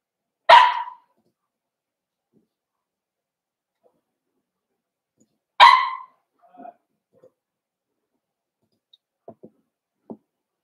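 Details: {'caption': 'Cavalier King Charles Spaniel puppies, four weeks old, in a home pen during socializing: two abrupt barks five seconds apart, followed by soft scuffles and small taps.'}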